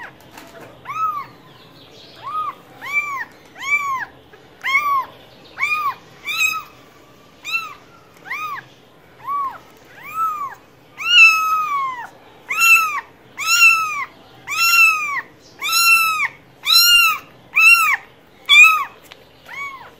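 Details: Cat giving a fast series of short arched meows, about one per second, growing louder and brighter in the second half, clean quiet background.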